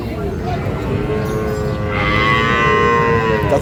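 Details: Sahiwal bull calves at Ambari market, Parbatipur, Dinajpur, Bangladesh, 11 May; a moo grows louder and brighter in its second half, held steady with rich overtones, over busy market background.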